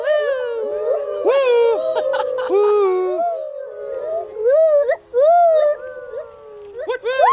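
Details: Molly, an elderly female gibbon at Magnetic Hill Zoo, Moncton, New Brunswick, encouraged to sing her loud territorial call, gives swooping whoops that rise and fall in a rapid, ringing series.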